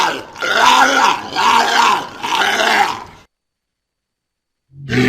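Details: Walrus giving three pulsing, rasping grunts in quick succession, each arched and harmonic, followed by a pause and the start of another harsh call.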